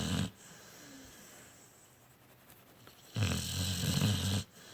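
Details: Sleeping Pit Bull named Ryder snoring: two deep, rasping low snores, a short one at the start and a longer one about three seconds later, with quiet breathing between.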